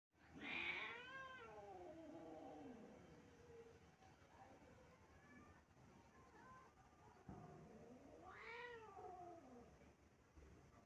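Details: Stray cat howling on stairs: a loud, drawn-out wailing cry that rises and falls in pitch, fading over about three seconds, then a second rising howl near the end, over a quiet background.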